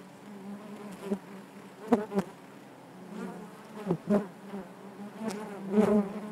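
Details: Steady hive hum of many honey bees, punctuated by short, louder passing buzzes and a few crisp clicking knocks against the constant droning background.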